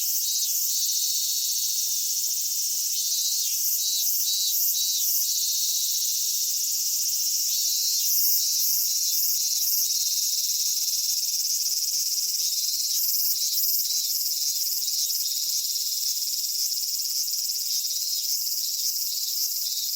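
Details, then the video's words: A Japanese summer cicada chorus at Michinoku Folk Village and Kitakami Tenshochi, Kitakami. Over a constant high shrilling, rhythmic pulsed phrases recur in bursts every few seconds, each made of rapid repeated beats. "夏セミの鳴き声 ミンミンゼミから夕方のひぐらしまで"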